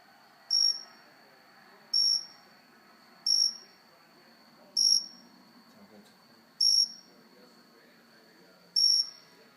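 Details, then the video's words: Indoor cricket perched on a house plant chirps six times in a slow, fairly even series, each note a brief shrill high pulse, with a constant faint high whine and low room noise behind. "Cricket making cricket noises."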